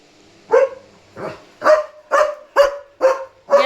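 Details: German Shepherd at night barking at an intruding dog as it leaves its area: seven sharp, rough barks in quick series, about half a second apart, after a quiet start.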